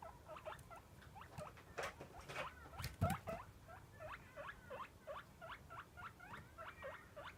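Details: Pet guinea pig squealing to beg for food at feeding time, as it does every day: a string of short rising whistled squeaks repeated about every half second, with some rustling and handling thumps in the middle.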